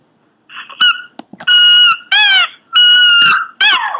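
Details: Pomeranian making weird noises, a short sequence of squeaky, nasal whines, a couple held steady and others dipping in pitch, with soft clicks between; indoors.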